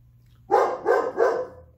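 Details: Holder, a Weimaraner, barking excitedly as he hears that Uncle Bob is coming, frantically checking windows and rooms; three quick loud harsh barks in a burst about a third of a second apart, indoors and otherwise quiet.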